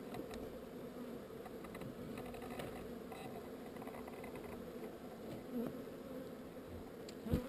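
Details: Honey bee swarm being rehoused, droning in a thick, level buzz with a slight swell near five and a half seconds and a sharp knock at the very end.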